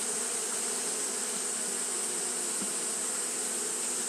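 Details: Continuous buzzing of Japanese honey bees fanning through a hot day. The low hum stays level and unbroken, layered over steady high-pitched hiss.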